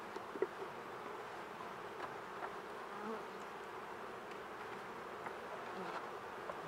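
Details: Honey bees hum in a steady, low, droning buzz, many wings together, broken now and then by soft knocks and taps, while the beekeeper restarts hives in autumn against Varroa.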